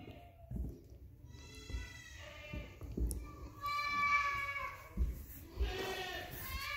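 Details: Charlotte, a young female goat that slipped into a building, yells for her owner after losing sight of her: three loud, quavering, harmonic bleats in about five seconds, with hoof thumps and a person's voice nearby.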